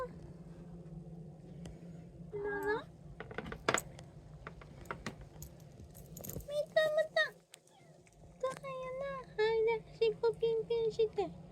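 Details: Household with three cats (a Kijitora tabby, an Abyssinian and a short-legged Munchkin) at feeding time, 2024/05/08. Short rising meows at about 2.5 s and again later, mixed with a person talking in Japanese and clinking sounds.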